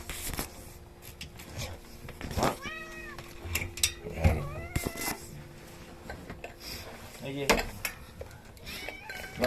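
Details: Outdoor domestic cat meowing, a sound that makes seven rescued kittens indoors freeze; several drawn-out, wavering meows with rising and falling pitch come a few seconds apart over household rustling and knocks.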